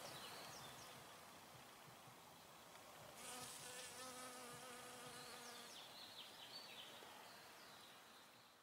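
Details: Nectar-collecting honey bee gives a rich, rich-toned humming drone that rises in a strong pass midway, then slowly fades, over a background of soft hiss.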